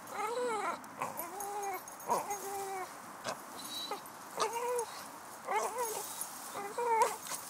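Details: Shady, a male Staffordshire bull terrier hunting squirrels, gives high, strained whining yelps, each bending up then down, about seven in quick bursts with short gaps, over faint rustling background.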